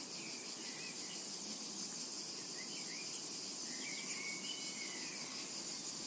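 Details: Steady high-pitched cicada drone in a summer meadow, with short rising and falling bird chirps sprinkled through the background.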